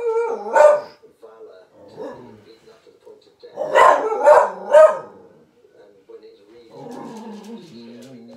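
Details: Rosie, a 14-month-old Irish Terrier, barking in reaction to a lion on television; a bark burst, then a quick run of three barks, with voices and a low growly murmur between.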